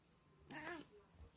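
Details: Domestic cat "talking" to its owner, a meow said to sound like "mama": one short drawn-out harmonic meow that rises and then falls, about a third of a second long, in a quiet indoor setting.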